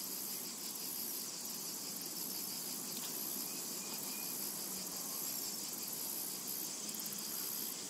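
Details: Summer meadow cicada chorus: a dense, even high buzz that fills the whole stretch, with only a trace of distant bird notes near the middle.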